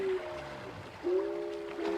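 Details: Walrus (Odobenus rosmarus) heard in the wild off the coast of Alaska gives a bell-like, glockenspiel-like song of clear chiming tones, long sustained notes rising slightly then holding steady.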